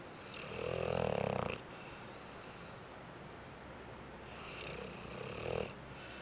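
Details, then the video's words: Resting after a rough day, Bentley the dog gives a long, rumbling, buzzy snore, then a shorter softer one about four seconds later, in a quiet room. "Snoring Bentley"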